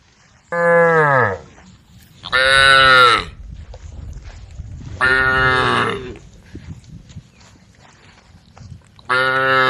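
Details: Female cows in a herd on the road calling the herd: four loud, harmonically rich moos in sequence, each under a second, the first lower and falling, the others brighter and more strained, separated by quiet road background.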